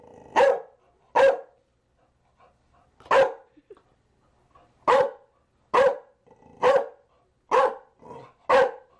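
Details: Barking Chow Chow giving nine abrupt, resonant barks over nine seconds, roughly one per second but unevenly spaced, with quiet pauses and no other sounds.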